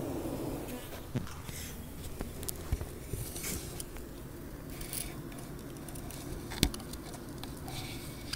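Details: Beehive noises: a steady low buzzing hum of many bees, with scattered clicks and taps over the drone.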